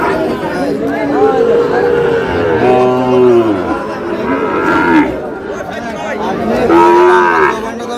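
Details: Sahiwal bull at a cattle market in Brahmanbaria, Bangladesh: several loud, long harmonic moos, one deep and arching low around three seconds, others higher and drawn out, amid crowd chatter and voices of traders.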